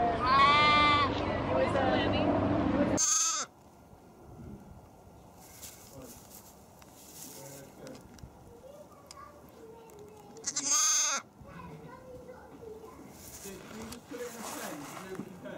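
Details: A playful young lamb gives a long, high, quavering baa. Then comes a quieter stretch with short noisy bursts and faint sounds in the background.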